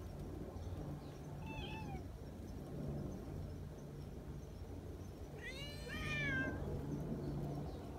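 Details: Affectionate community cats at a mountain gathering; a brief, soft meow, then after a pause a louder, longer wavering meow that bends down at the end, over a steady low hum.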